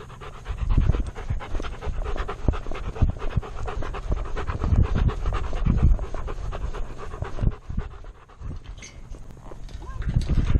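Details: Alaskan Malamute wearing a chest-mounted camera, panting heavily in fast, uneven bursts of low, breathy puffs, with rustling and thumping footsteps close to the body throughout.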